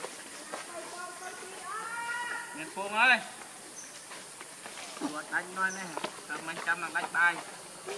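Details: Baby monkey named Leo crying and begging its mother for milk; wavering harmonic wails, some rising and falling, come in short bursts with longer pauses, over background voices and rustling.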